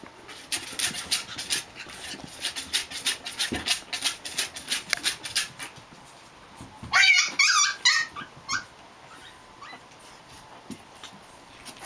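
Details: Japanese Chin puppies Hestia, Asti, Fizzie and a baby girl playing together: a run of quick dry clicks and scuffles, then a short burst of high, squealing yelps and growly yips near the end, followed by a few scattered squeaks.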